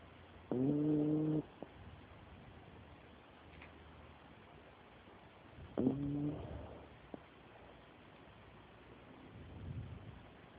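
A Dachshund snores in slow breaths, each one a short, nasal, whistle-like rasp with a hum under it. The snores come roughly every five seconds, and faint low rustling fills the gaps.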